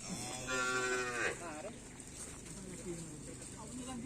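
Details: Racing cattle at a karapan sapi bull race training session ahead of the Bhayangkara Cup and Bupati Cup, at the Asemanis field in Pamekasan; a short, strained moo about one second long, with crowd chatter and outdoor noise behind.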